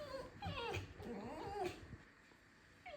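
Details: A pet fox indoors in a kitchen, squeaking and complaining: wavering, whiny squeals that rise and fall, clustered in the first two seconds, then a quieter stretch and one more short squeak at the end.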